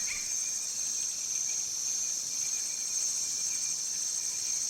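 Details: Cicadas in a tropical forest, described as strident: a steady, piercing high-pitched drone that holds unbroken and evenly loud throughout, with a faint thinner whine beneath it.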